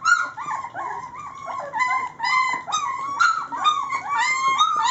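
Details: Several Rhodesian Ridgeback puppies, three weeks old and from Layla's litter, at eating time fill the room with continuous high, warbling whines and short yips, overlapping and wavering in pitch without pause.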